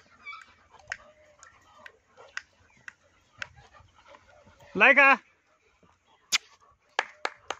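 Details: German Shepherd puppies: one loud, wavering, high whine lasting about a third of a second, set among short clicks and taps and faint background voices.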